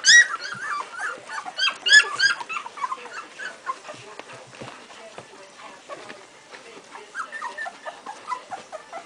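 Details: Two-week-old Strongbow puppies, a litter calling together: a burst of loud high squeals and whines at the start, then quieter scattered whimpers and soft shuffling, with a few faint squeaks near the end.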